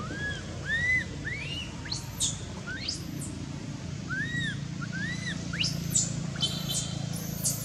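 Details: A hurt baby monkey, Anissa, crying at Angkor Wat temple after being hit and dragged by Aron. Bent, whistled wails alternate with sharp upward-sweeping squeals and high screams, several per second, over a low rumbling hum.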